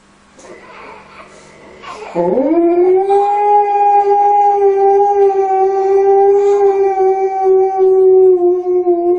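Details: Alaskan Malamute comforting a crying baby with a long howl; after faint fussing, a sustained, even, tonal howl starts abruptly, sweeps up briefly and holds steady for about seven seconds.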